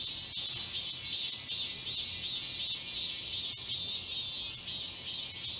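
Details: Midsummer cicada chorus in a park forest in Seoul, South Korea: intense high-pitched buzzing, unbroken, with gentle rhythmic swells and a few faint clicks.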